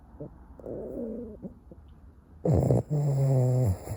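A sleeping Boston Terrier snores with low, raspy, rattling breaths.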